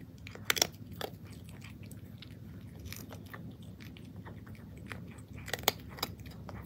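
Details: Domestic cat eating crunchy dry food indoors: sharp, dry crunches come in scattered bursts, loudest near the start and again toward the end, over a steady low room hum.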